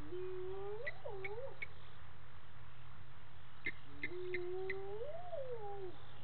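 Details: Spotted hyenas calling at dusk, 18:30, at Gowrie dam waterhole on Djuma Game Reserve, Sabi Sand, South Africa, while a scrub hare drinks; two rising-then-falling whooping calls with upper harmonics, amid chirping birds and steady low hum.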